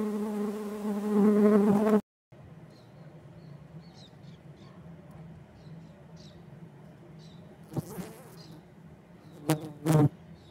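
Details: Swarm activity at kept stingless bee colonies in a native-bee collection: loud rich droning buzz for two seconds, then a quieter steady hum with scattered ticks and a few sharp knocks or clicks near the end.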